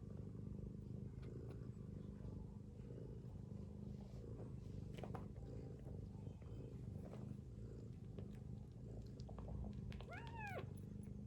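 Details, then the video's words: Mother cat snoring while sleeping with her kittens: a steady, low rumbling drone runs throughout, and near the end a kitten gives a short, rising-then-falling mew. "Mother cat snoring with her kittens"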